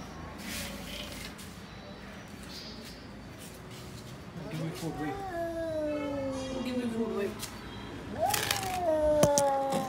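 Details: Cat during an everyday face-off between a lion cat and a tall cat at feeding time, where one steals the other's food: two drawn-out falling meows, the second louder and higher, over a person talking and background noise.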